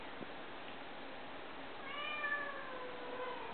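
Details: Lynx point Snowshoe kitten, male, indoors; a faint drawn-out falling meow from about the middle of the clip, with a steady hiss underneath and a person speaking softly nearby.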